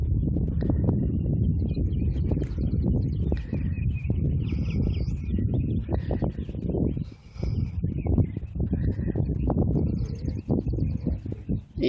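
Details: Hoofbeats of a Thoroughbred race horse during a half-mile training workout at a training center: dense, steady low drumming thuds filling the stretch, briefly easing near the middle, while small birds chirp and twitter higher up.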